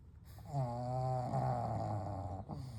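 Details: One long, steady snore from sleeping pugs Kou, Gen and Shun, a low droning rattle with a faint whistling edge lasting about two seconds before fading.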